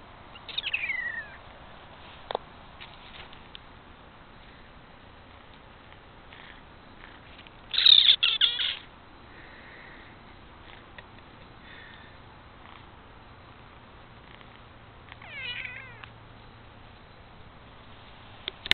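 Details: Lily, a pet kitten, chirping at the camera indoors: three brief bursts of high, warbling chirps, one near the start, the loudest around eight seconds, and a softer one near fifteen seconds, with quiet background between.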